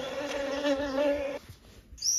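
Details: Western honeybee buzzing: a steady, low droning hum with rich overtones, held for just over a second before cutting off into faint background noise.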